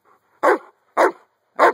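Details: Jeeves, a Giant Schnauzer, outdoors during play with a young toddler, gives three deep, forceful barks roughly half a second apart, with brief quiet between each.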